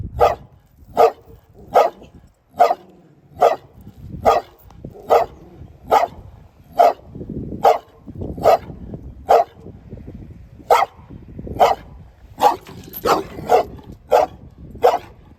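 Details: Steady series of sharp dog barks, one almost every 0.8 seconds, then a faster cluster near the end, about twenty in all, over soft low background noise.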